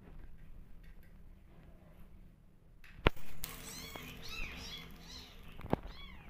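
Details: Hungry orphan kittens, rescued and bottle-fed because the mother cat will not adopt them, cry for milk indoors: a burst of rising and falling mewing cries after a loud thump, over a low room hum.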